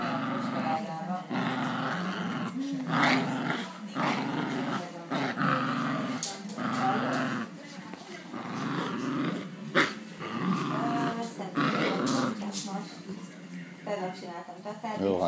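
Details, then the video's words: Havanese dog, described as angry, growling in low rumbling bursts that rise into sharper snarls and short yaps, with a person talking between them. "Angry Havanese!:)"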